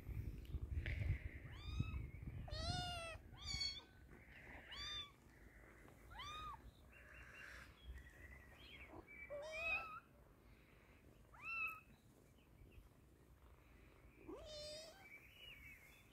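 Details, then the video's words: Kitten being given eye drops to treat its eyes, meowing repeatedly in short, high, harmonic cries, some rising then falling, spaced a second or two apart, with low rumbling handling noise beneath. "We Used Eye Drops to Treat Poor Kitten's Eyes"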